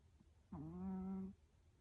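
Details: Lulu, a pet puppy, snoring while asleep indoors: a single steady, humming nasal tone with a low buzzing pitch, held for under a second, then quiet room hum.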